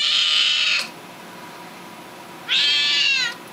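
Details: Charlie, a young Seal Point Siamese cat testing out his voice, probably upset, gives two loud drawn-out high meows, each under a second, separated by a quiet pause with faint background hiss.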